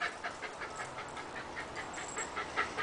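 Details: Yara, an Australian dingo, 'talking': a quick run of short, nasal, yipping pulses, roughly six per second, steady in pitch with slight rises and falls, against quiet background hiss.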